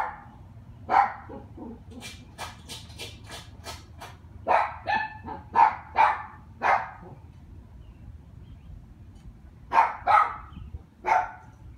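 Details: A neighbour's dog giving repeated harsh barks in clusters, with a series of sharp clicking taps early on, a group of five barks midway and three more near the end; faint low hum beneath.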